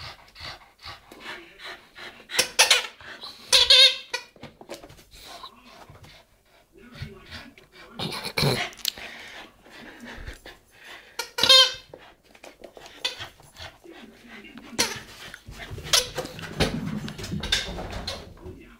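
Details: West Highland White Terrier indoors, having lost its ball behind the TV and calling for help: high, thin whines and squeaky yelps in scattered bursts, with panting and some human voice in the room.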